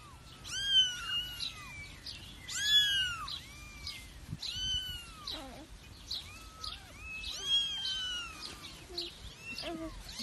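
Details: Domestic cat meowing: loud, arched, harmonic-rich meows rising then falling, with the strongest near the start, around three seconds and near eight seconds. Softer overlapping mews fill the gaps.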